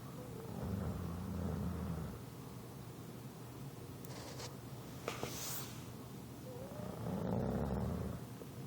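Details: An English Bulldog snores in low, rumbling bursts, one long rasping breath every few seconds.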